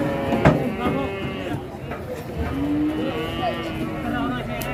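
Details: Cattle at Pasar Ngawi, an Indonesian livestock market, loaded onto trucks bound west: one short low moo early, then a long steady bellow held for almost two seconds, set against constant vehicle hum and crowd background.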